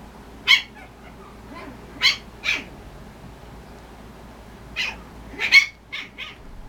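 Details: Party-colored male Chipoo, a very energetic boy, romping around as if wrestling; about seven short, high, squeaky yips burst out at irregular moments, several in quick pairs, over a quiet indoor background.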